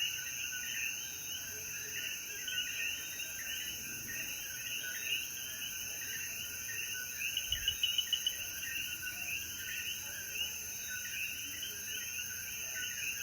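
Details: A sunset chorus of coquí frogs following rain in the mountains of Jayuya, Puerto Rico. Overlapping chirps pulse steadily, high insects buzz without pause, a clicking burst appears midway, and a soft low thump is heard.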